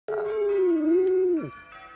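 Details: West Highland White Terrier howling along to Sunday church bells: one sustained wavering howl, dipping slightly midway then dropping sharply at the end, with ringing bell tones continuing after.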